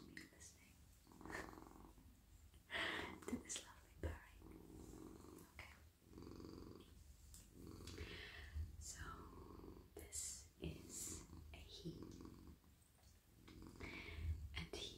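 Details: Petted male pet cat lying warm and cosy in a lap, purring; a soft low vibrating rumble continues underneath repeated swishing strokes of a hand over fur.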